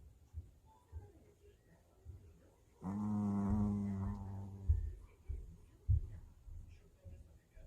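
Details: A very tired pet puppy snoring indoors: one long, droning, tonal snore of nearly two seconds with a rich buzzy hum, followed by soft breathy sniffs in a quiet room.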